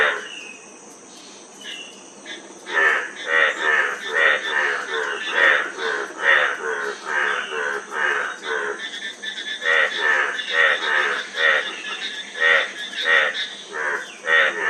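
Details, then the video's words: Frogs calling: a quiet opening, then harsh, pulsed croaks from several animals, overlapping and repeating about once a second, over a steady high hiss. "Frog Sound--Frog Sound Effect 15 min"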